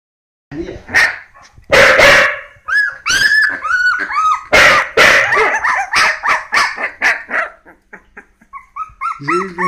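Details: Three 16-day-old Hokkaido dog puppies, a brindle female, a brindle male and a red female, give rapid high squeals and short arched whines, with bursts of sharper yelps packed closely together. A brief murmur of voices follows at the end.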